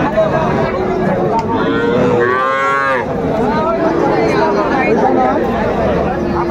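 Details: Friesian and crossbred heifer calves for sale at Raniganj cattle market in Dinajpur, 12 July 2024: a drawn-out bellow swelling around its middle, set among overlapping lower moos and a busy murmur of people bargaining.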